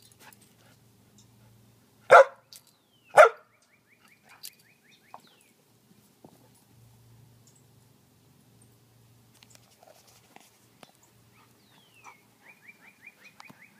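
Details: Jasper, a Samoyed dog playing fetch on a spring evening, gives two loud, sharp barks about a second apart early on, then mostly quiet with faint high chirping sounds and soft scattered clicks.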